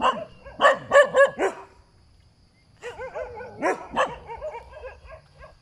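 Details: Dog barking by the roadside: two bursts of sharp, harmonic barks, four quick ones in the first second and a half, then after a pause a looser run of yappy barks.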